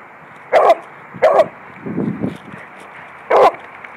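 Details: Beagle playing with a Lab in a yard, dogs running around: three sharp barks near 0.5, 1.3 and 3.4 seconds, with a lower growly grumble between them, over steady background hiss.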